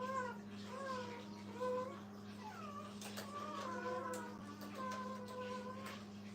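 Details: Brittany puppies kept with their mother in a kennel, several overlapping drawn-out whines and squeaky wavering cries, some sliding up then down, with a constant low hum underneath.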